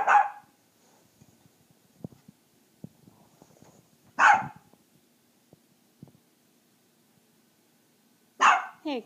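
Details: A puppy told to be quiet carries on barking: three loud, harsh barks about four seconds apart, with quiet clicks and tapping in a room between them.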